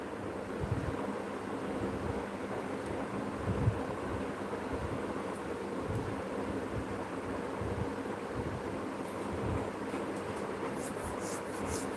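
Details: Steady low rumbling wind noise buffets the microphone throughout, with a few faint high clicks near the end.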